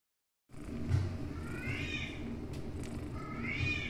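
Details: Indoor cat from a family of kittens and grandkittens gives two meows, each a rising then falling wavering cry, the second shorter and higher, over a steady low household hum.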